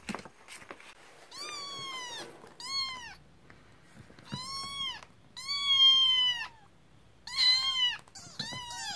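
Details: Kitten that has just woken up and grows angry while eating, indoors: loud high meows with strong harmonics, each drawn out and slightly arching, about five calls in nine seconds with short gaps, the last ones shorter and clipped.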